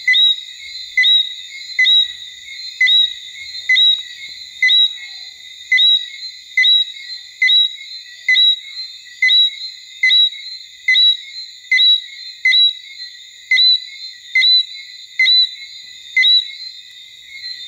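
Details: Martinique robber frog (Eleutherodactylus martinicensis) singing at Basse-Terre, Guadeloupe, in October 2014: short high two-part notes with a rising whistle, repeated roughly once a second in a steady series over constant high insect buzzing.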